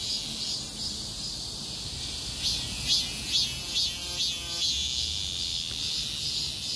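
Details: Many cicadas singing together on a street amid a heatwave; sustained piercing buzz with pulsed swells roughly every half second, a brief rasping ticking burst midway, soft low urban hum.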